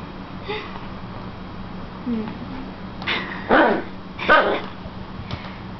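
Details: Hero, a puppy aged seven weeks and five days, attacks a slipper indoors: a soft rising whine, then a quick run of three or four short, harsh, yappy barks, over a steady low electrical hum.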